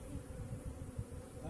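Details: Honey bees kept in boxes for beekeeping make a low, steady, droning hum with faint pulsing, quiet and continuous throughout.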